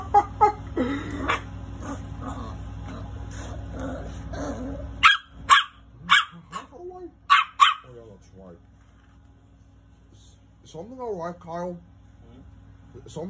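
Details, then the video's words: Angry little dog barking: a person talks at first, then several loud, abrupt barks come in an uneven cluster, followed by quieter voiced sounds and a brief pause. "Angry little dog barking"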